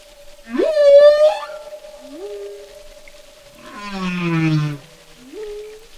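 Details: Song of one humpback whale: a rising whoop that levels into a steady high tone, short upswept squeals, and a rich descending harmonic moan, with a faint continuous tone running beneath.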